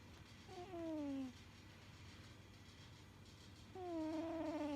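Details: Sleeping domestic cat snoring. Two drawn-out whistly tones slide downward, each about a second long and spaced roughly three seconds apart with each breath, over a low steady hum.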